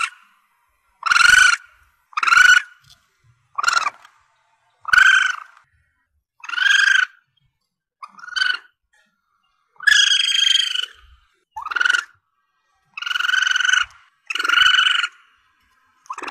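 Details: Young Asian palm civet, played to lure civets when hunting: loud, harmonic squealing cries, about a dozen spaced roughly a second apart, some short and sharp, others drawn out and wavering, against a quiet, clean background.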